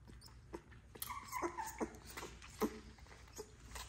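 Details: XL American Bully puppies, ten in the litter, hand fed with a bottle to spare their mother; short high whimpers and yelps come in a cluster near the middle, between soft clicks and rustling.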